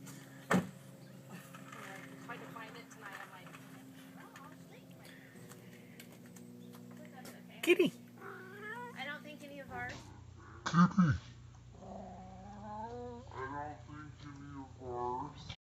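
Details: White domestic cat playing with catnip indoors; a person speaks and calls the cat at first, then a run of wavering, drawn-out meows follows, with occasional clicks and bumps.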